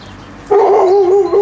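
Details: Hovawart puppies on their first outing in the garden, exploring. A single high, tonal whining yelp holds steady with a slight waver for about a second, loud and close.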